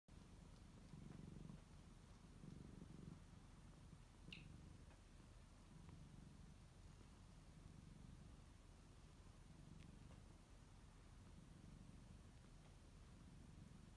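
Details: Kittens relaxing in their own beds, one named Hinoki kneading; a low, soft rumbling purr pulses steadily in waves throughout, with a brief faint click near the middle and quiet room hiss.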